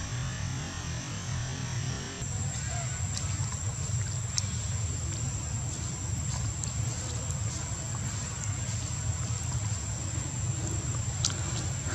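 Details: Steady low rumbling outdoor noise like a running engine, a constant high whine, and a few faint clicks, with no animal call.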